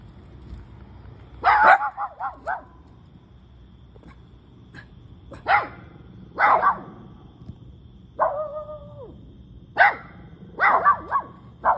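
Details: Two pet dogs, a cavapoo and a shih tzu, barking indoors: sharp barks in quick clusters of two to four, a longer drawn-out whining bark near eight seconds, quiet pauses between bursts.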